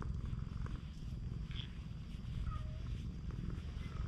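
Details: Stray cat on a cat island, being affectionate, purring steadily in a dense low rumble. Faint short high tonal chirps are heard in the background.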